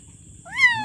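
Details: A kitten gives one short, loud meow that rises sharply and then slowly falls away, heard over a soft low rumble.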